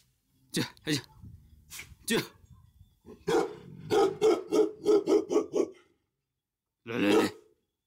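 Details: Himalayan sheepdog (Bhote Kukur) at a dog farm in Kali Pokhari, eastern Nepal, just over 3,000 metres up: a few sharp barks, then a rapid run of about eight loud barks, with a person calling the dogs by name.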